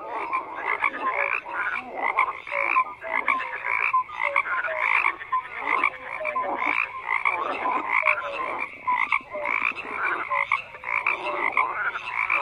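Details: Many frogs croak at once in a thick, continuous chorus, rasping pulsed calls rising and falling in waves, with brief whistle-like tones scattered through it.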